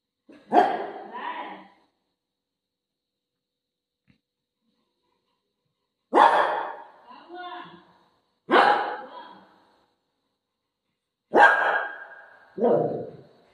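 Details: Pet dog indoors, waiting outside the washroom for its owner, gives four loud barks spaced several seconds apart, each trailing off into a lower, whining tail, in a quiet room.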